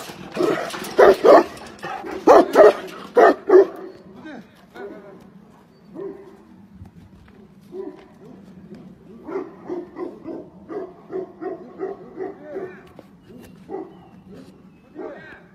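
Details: Tibetan Mastiff barking: a burst of loud, heavy barks in quick pairs opens the sequence, then a long train of softer, evenly spaced barks follows over a low background hum.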